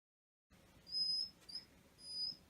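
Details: Maro, a male black Shiba Inu waiting for his food, gives thin, high whistle-like whines: three steady, level tones, the first and last longer, over a faint low indoor hum.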